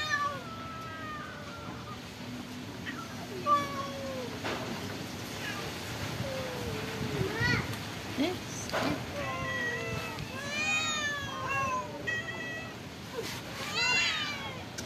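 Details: Several stray cats at a pagoda mew repeatedly while being given rice and fish. Calls start as soft, scattered mews and build into a busy chorus of short, rising, overlapping meows, with occasional knocks and clatter between them.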